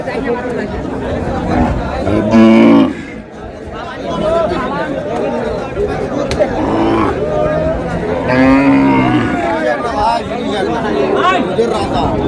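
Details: Cows with calves at Raniganj cattle market, Dinajpur, on May 4, 2026: a loud, deep, drawn-out moo near the start, then a second lowing call later, over constant crowd chatter and men talking.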